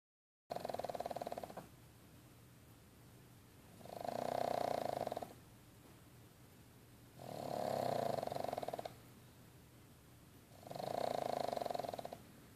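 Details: Sleeping pug snoring indoors: three long rasping breaths, each lasting about a second and a half, roughly every three seconds, with quiet pauses between.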